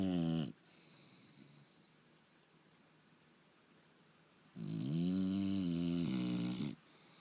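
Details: Snoring from a sleeping English Bulldog called Turbo: the tail of one gravelly snore opens, followed by a hushed pause and then a deep, vibrating snore lasting around two seconds in a quiet room.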